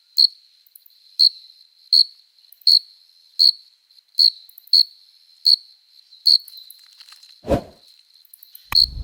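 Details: Stridulating cricket calling to attract a female, its forewings producing a steady run of shrill, evenly pitched chirps roughly every 0.7 seconds, followed by a dull knock and a low rumbling thump near the end.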